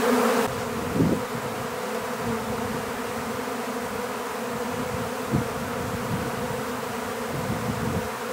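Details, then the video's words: Honeybees swarming while being captured in an empty hive; a steady, humming drone runs throughout, broken by a few dull knocks or thumps near the start and around the middle. "How to Capture a Honeybee Swarm"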